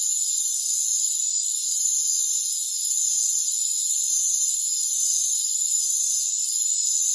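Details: Crickets calling in rainforest as a steady, piercing wall of sound. Multiple fine trilling bands overlap continuously, briefly softening twice. Nothing is heard in the low range.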